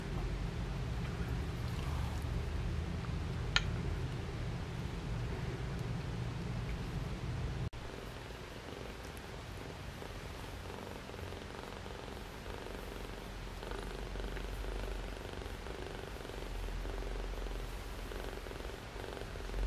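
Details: Obi-Wan Kenobi, a four-week-old shaded silver male Persian kitten, bottle-fed since three weeks old because his mother ran out of milk, gives a low, steady rumbling purr throughout while feeding indoors, with one sharp click early on.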